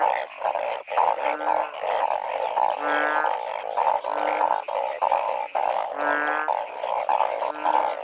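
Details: Narrow-mouthed frogs in heavy rain during a seasonal torch-lit frog hunt. A dense chorus of throaty, pulsing bleats overlaps continuously, with short nasal honks recurring every second or so.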